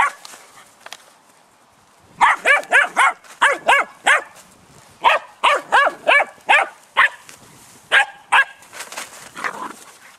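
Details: Malinois puppies almost 11 weeks old, siblings that have been squabbling: a burst of high, sharp yelps and squeaky barks in quick uneven runs after a short quiet start, about two or three per second.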